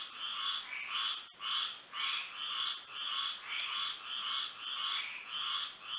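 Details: Frogs in full song on a Florida night under the moon, loud buzzy pulses rolling in regular waves about every half second, backed by a persistent high insect hum and a single sharp click.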